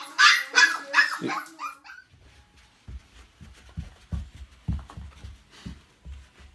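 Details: Dog reacting to its mirror image, giving a few loud, bright barks in the first two seconds, followed by soft, low, repeated thumping and muffled sounds in a small indoor room.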